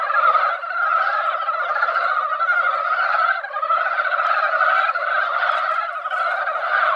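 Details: Chorus of mountain frogs crowding a once-quiet mountain pond after light rain in the egg-laying season; thick, ceaseless overlapping croaks, swelling and easing slightly but never stopping.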